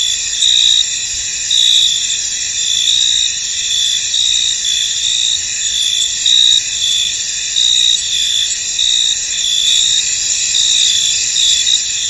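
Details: A foggy field full of crickets gives a thick, shimmering high trill. A louder pulsed chirp rises and falls in short bursts every second or so above the steady drone.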